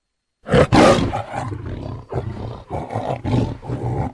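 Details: A tiger (Panthera tigris) opens with one sudden, loud, coarse roar. It is followed by a string of shorter grunting, growling pulses about every half second, gradually weakening.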